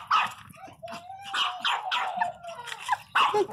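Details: Pet Pinschers, Teco among them, crying loudly: sharp yelping barks in short bursts with a thin drawn-out whine between them, while a woman talks to the dogs about biting and quarrelling.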